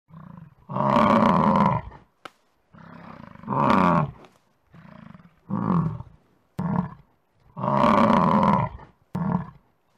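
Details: An American bison lets out deep, rough roars in long rumbling bursts, with shorter snorting grunts between them.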